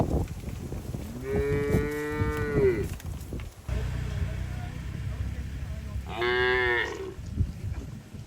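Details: Herded cattle walking through forest toward their shed, leaping happily; a long, steady moo, then a shorter, brighter higher-pitched moo, with rustling, footsteps and low background rumble between calls.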